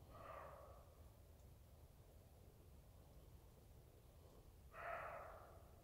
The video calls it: 3 Minutes barking roe deer Black screen